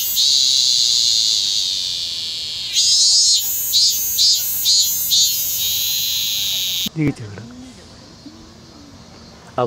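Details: Minmin cicada heard on 25 August 2010 in Kanagawa, Japan, still calling late in the season: a sustained high buzz gives way to a run of about six pulsing beats, then the song stops abruptly, leaving faint lower sounds and background hum.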